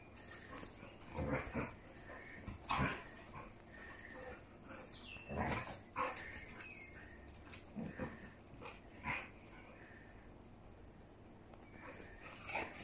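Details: Two Siberian Huskies, a mother and her daughter, playing together: short bursts of yips, grumbles and whines between quieter gaps, with a few high whistly squeaks and thumps of movement.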